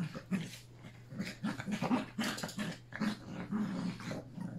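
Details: Three Yorkshire Terrier puppies with their mother playing together on August 29, a last play session before one puppy leaves. Low, rumbling play growls and short yips come in rapid uneven bursts, with scuffling and a steady hum behind.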